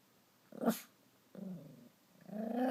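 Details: Stella, a pet dog, angry after Max stole her chew toy, gives short low growls indoors: a brief burst, a half-second rumble, then a rising grumble at the end, with quiet room background.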